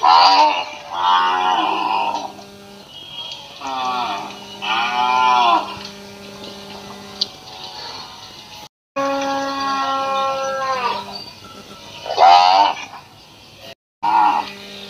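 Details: Cattle on an Indian cow farm lowing in a series of drawn-out, harmonic moos, several rising then falling, each lasting one to two seconds with short gaps, over a steady low droning tone and brief silent breaks.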